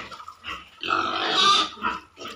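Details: Pigs at a piggery giving loud, harsh squeals that swell into a drawn-out scream near the middle, with shorter grunting squeals before and after.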